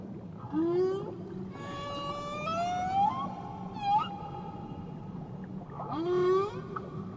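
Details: Tahiti whale vocalizing: a short upward sweep, then a sustained harmonic-rich tone that climbs and levels off, a brief swoop, and another rising call, over a low constant ocean hum.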